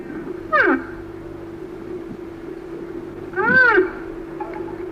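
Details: Rhinoceros giving two short, arched, harmonic squealing calls about three seconds apart, each rising then falling in pitch, over a steady low mechanical hum.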